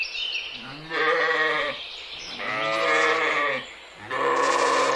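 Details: Mouflon, wild sheep, among forest and mountains; three drawn-out quavering bleats about a second each, harmonic and nasal, with faint background noise between them.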